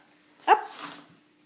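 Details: Female Shiba Inu barking on command indoors during trick training; one short sharp bark followed by a softer trailing vocal, with a faint steady tone in the room.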